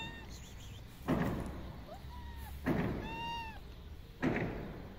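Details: Female tuxedo cat, happy to see a familiar person, gives two clear rising-then-falling meows with bright harmonics, one short and one longer, between dull rhythmic thumps about every one and a half seconds.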